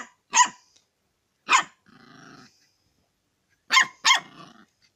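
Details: Dog barking while wanting to eat chicken: four sharp, harsh barks, two spaced early and a quick pair near the end, with a low rough growl between them.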